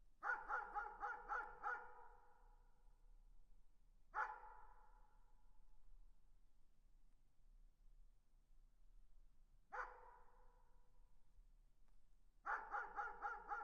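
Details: Far-off dog barking in bursts: a fast string of five barks, lone barks roughly every five seconds, then another quick volley of barks at the end, each with a fading echo.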